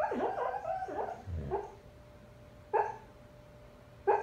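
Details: Male foster husky asleep and dreaming, giving whiny, wavering yips and muffled squeals, then short soft closed-mouth woofs spaced about one to two seconds apart, with a faint steady electrical hum.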